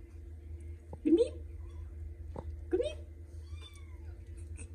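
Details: Kittens in the morning indoors, giving two short, rising-then-falling meows about two seconds apart over a low steady hum, with quiet room noise between calls.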